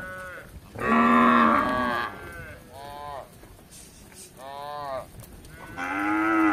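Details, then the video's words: Tame cattle roaming a village in search of grass, in Indonesia-style kampung setting: a long harmonic moo around one second, then shorter softer moos, and a final rising moo at the end. "Sapi Lembu lucu yang jinak di Kampung Berkeliaran mencari rumput"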